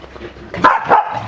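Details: Corgi at a pool giving two short, sharp barks in quick succession, about a third of a second apart, with faint background noise around them.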